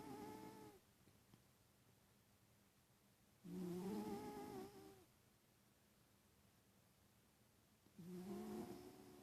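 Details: {'caption': 'Sleeping pet cat snoring: low, buzzy breaths lasting about a second, each slightly rising in pitch, returning every four to five seconds with quiet pauses between.'}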